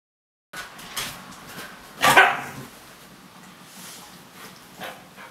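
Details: Siberian Husky named Laika lets out a single sharp, loud bark near the middle, preceded and followed by soft scattered clicks and faint snuffling.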